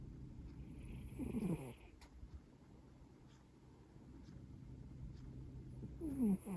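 A Maine Coon cat snores softly, a low rumbling breath with a squeaky, falling whistle on the exhale.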